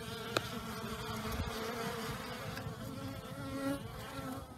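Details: Many honey bees active outdoors on a mild day early in the new year, after torrential rain the previous night; a dense, steady buzzing drone with small swells as individual bees pass.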